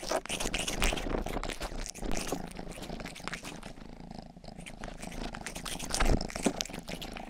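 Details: Rangi, a domestic house cat, licks at an ear-shaped microphone while purring, with quick wet tongue strokes in bursts layered over a continuous low rumble throughout.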